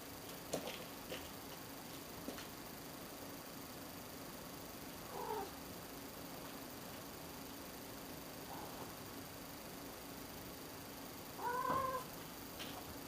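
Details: Meowing cat indoors giving one clear drawn-out meow near the end, an arched tone that rises then falls. A faint, shorter call comes earlier, with scattered soft clicks and a steady low hum in a quiet room.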